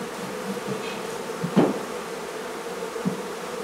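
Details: Honey bees from a hive being removed from a barn in La Feria, Texas; a steady low buzzing hum from the colony with a few brief knocks and clicks mid-clip.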